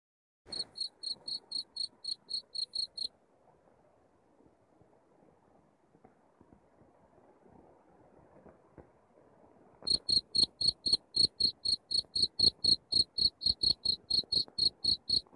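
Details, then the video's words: Cricket chirping in a masteran recording played to drive rats out of a house: a burst of rapid, shrill chirps about four per second, then several seconds of faint background hiss, then a louder, steady run of chirps. "suara jangkrik masteran untuk ngusir tikus di rumah"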